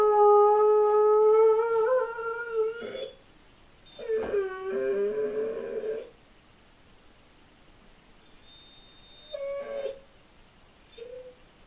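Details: German Shorthaired Pointer named Abby howling indoors from separation anxiety, a session said to last about eight hours; long tonal howls with rich harmonics, rising then sliding down, broken by pauses and shorter whimpering notes.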